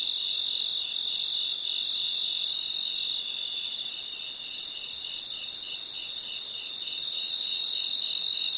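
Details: Natural chorus of crickets at night in their environment: a steady, dense, very high-pitched shimmering trill in two bright layers, one lower band faintly pulsing, continuous throughout with no gaps and no other sounds.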